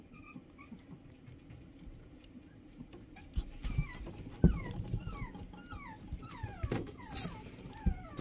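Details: Shih Tzu dog whimpering: faint whines at first, then a run of quick, falling whines from about the middle on, over low rumbling noise with a few thumps.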